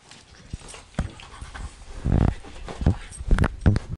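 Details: German Shorthaired Pointers, a smaller male and his bigger mother, scrapping playfully indoors; heavy panting and deep, rumbling growl bursts growing louder over a few seconds, with thumps of scuffling.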